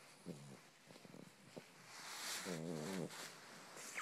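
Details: Kitten-like purring from a pet pug: a few short, soft snorts and clicks early on, then one sustained, wavering, rattly grunt lasting about half a second, followed by breathy hiss.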